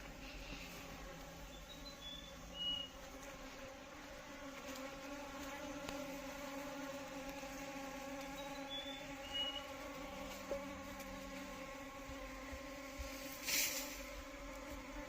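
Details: Apis cerana indica honey bees drone in a constant, low, layered hum. A few thin, high chirps come twice in the background, and a short rushing burst sounds near the end.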